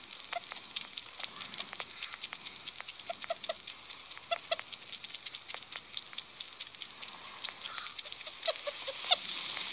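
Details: Happy sugar glider giving short, soft chirps scattered through the clip, mixed with frequent sharp clicks and crackling, over a steady high hiss.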